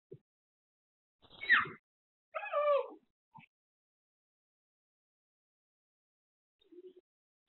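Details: Kurumi, a female Shiba Inu born in Nagasaki, waits home alone for her owner, caught on a pet camera, whimpering out of loneliness. Two short whines, the first sliding downward and the second wavering, then near-silence with faint soft noises.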